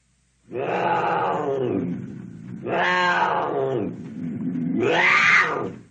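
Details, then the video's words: Cougar giving three long harsh roars, each about one and a half seconds with rich rasping tones, separated by short low grunting breaths, the last one the loudest and most strident. "Cougar sounds Cougar sound effects roar"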